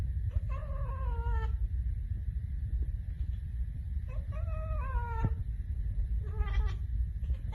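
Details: Baby cats (kittens) talking and making funny noises: three drawn-out, tonal meows, each sliding gently downward in pitch, the last one shorter, separated by pauses of a few seconds over a steady low rumbling hum.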